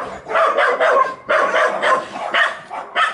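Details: Ozi, a puppy up for adoption, gives a run of short, harsh barks in quick bursts, several close together then a pause, repeating through the clip, with faint whimpering yips between them.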